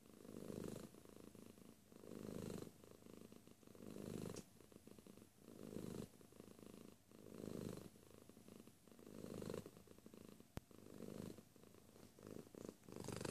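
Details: Close-range purr of a domestic cat, deep buzzing rumbles rising and falling in regular waves roughly every one and a half to two seconds, quieter throb between the louder phases.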